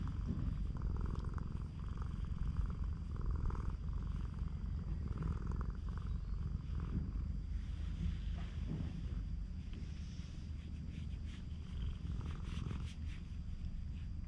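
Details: Affectionate stray cat purring on a cat island, recorded on a GoPro HERO8: a continuous deep, pulsing rumble holds for about fourteen seconds, with soft mid-pitched rustling sounds drifting in and out.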